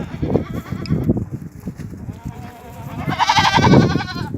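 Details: Goat at a farm in Ajmer, Rajasthan, India: after a few seconds of mixed clattering and murmuring, one wavering, quivering bleat rises clearly near the end.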